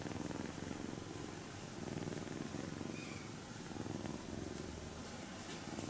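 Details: Kitten Shiro-ko purrs as she is stroked during her nap, a continuous low pulsing rumble rising and falling with each breath, roughly every two seconds, with faint rubbing sounds of a hand on fur.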